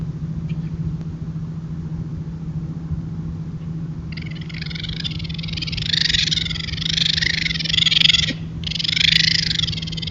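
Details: Raccoons caught on a trail camera make harsh, raspy churring screeches at each other while mating, in long grating bursts with brief breaks, over a steady low electrical hum.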